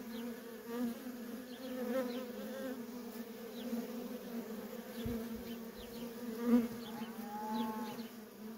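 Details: Constant drone of worker honey bees coming and going at a feral colony, a thick layered hum swelling and easing, with short sliding buzzes of individual bees flying by and a brief wavering tone near the end.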